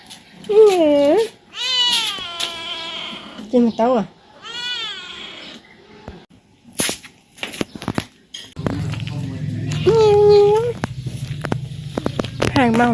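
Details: Pet cat indoors pestering his owner to play, giving loud rising-falling meows and drawn-out yowls in several bursts, while a woman talks in Khmer and a low steady hum runs through the second half.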